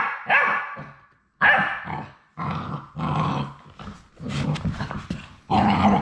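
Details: On the day they go home, the final three Labrador Retriever puppies at High Desert Labradors let out drawn-out, wavering cries and yelps, roughly one a second, some shrill and some rougher, separated by brief gaps.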